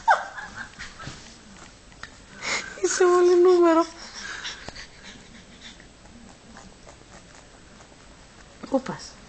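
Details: Banksy, a two-month-old Pug puppy, yawns indoors: a squeaky, whining tone of about one second slides downward in pitch with layered overtones, framed by quiet human speech before and after.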